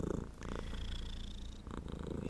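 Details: Black male domestic shorthair house cat purring close to the microphone, a soft continuous low vibrating rumble with fast even pulsing and faint room noise.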